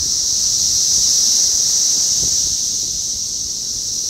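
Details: A dense chorus of 17-year periodical cicadas (Magicicada, Brood X) makes a steady, high, hissing drone that never lets up, outside an apartment building in North Bethesda, Maryland, USA, on 9 June 2021.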